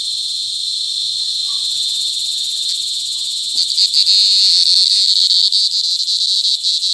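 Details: Mating cicadas calling up close, Sitio Bagumbayan, La Carlota City, Negros Occidental, on 18 July 2020: a steady shrill buzz that swells midway into a louder, rapidly pulsing rasp.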